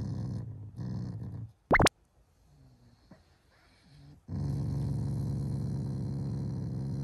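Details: Morning growling from a pet Shiba Inu, a sound of affection for its owners, not anger; a deep, throaty rumble opens, then comes a sharp click and a quiet gap before a second sustained low growl.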